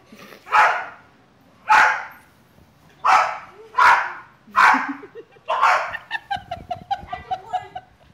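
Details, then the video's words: Snuggie, a female Bulldog, barks during a backyard soccer game with a boy in pajamas; five loud rough barks about a second apart, then faster short yips mixed with a person's voice near the end. "Bulldog Soccer!"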